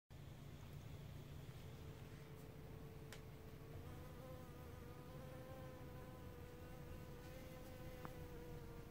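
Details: Solitary blue-banded bee visiting nodding violet flowers: a steady low hum, its pitch stepping up slightly partway through and holding with rich overtones, over a constant low background rumble.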